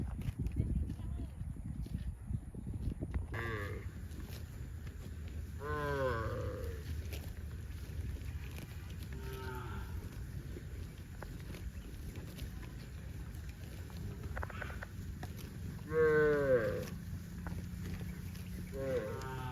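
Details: Several cows heading to a rural field moo in turn, long harmonic-rich lowing calls over a low rumbling background.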